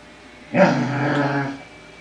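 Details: Lucy, a female Basset Hound, gives a deep, groaning growl lasting about a second, voicing displeasure at another dog, Linus, around feeding time.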